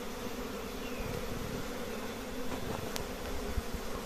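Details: Honey bees at a simple nest holding many colonies, giving a dense, steady low buzzing hum that fills the whole clip without pause, with a few faint clicks above it.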